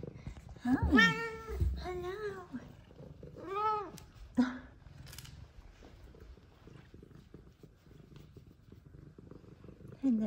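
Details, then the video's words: F2 Savannah cats, happy and being fondled by their owner indoors: three arching meows in the first four seconds, a brief squeak, then quieter stretches with soft purring and low handling noise. "Meows, Purrs, And Lovings From F2 Savannah Cats"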